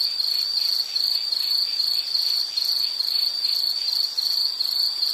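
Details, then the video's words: Steady high insect trill broken into short bursts a little under half a second apart, a rhythmic cricket-like chirping over faint hiss. "Nature Sound of nature sounds scenery L · insect"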